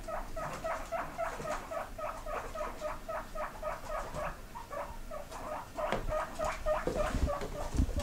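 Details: Pigs kept indoors squeak back when teased about wanting grass, a rapid run of short, bright, repeated squeaks, roughly two per second, with a few overlapping; a person's coaxing voice and some shuffling noise toward the end.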